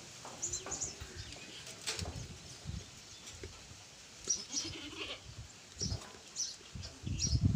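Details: Goat on a farm, with young kids present; brief low bleats recur irregularly through the clip amid background rustling and faint higher chirps.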